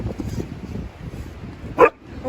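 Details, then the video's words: Juno, a Siberian Husky that seldom barks, lets out a single sharp, loud bark near the end, after low murmured talk and rustling outdoors. "Juno Barking?? Since when!"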